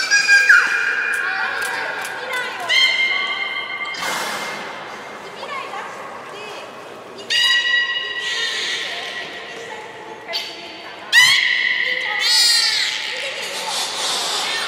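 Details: Belugas of the juvenile team at Port of Nagoya Public Aquarium, in play time during a pool transfer, November 2017; rich overtone-laden whistles and chirps, some held flat, others sweeping, in repeated bursts inside an echoing hall.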